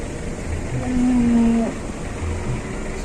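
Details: Very large white cattle at a market in Indonesia; one steady, low, drawn-out moo lasting under a second, over constant crowd and background noise.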